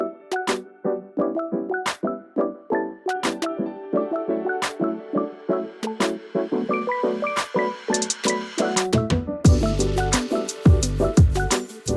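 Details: Rhythmic music with percussion and melodic notes plays throughout; no animal voices stand out.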